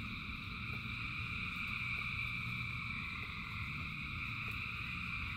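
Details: Thousands of frogs singing in the rain form a steady, humming chorus of layered high trills, with faint soft ticks repeating several times a second beneath, all over a low continuous rain rumble.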